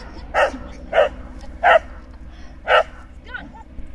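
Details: Pet dog barking at an air ambulance helicopter: four loud, sharp barks, the first three about half a second apart, then a pause and a fourth, followed by a short whiny yelp, over a low steady rumble.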